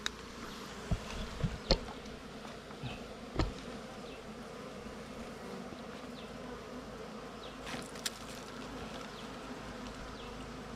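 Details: Wild bees at a nest during a honey hunt, a steady low droning hum with a few sharp knocks and clicks from digging and handling.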